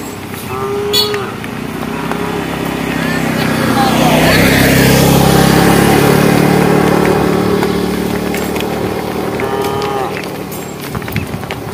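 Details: A cow in a herd walking along a project road moos twice to call the herd, once near the start and once near the end, while a motor vehicle roars past loudly in between.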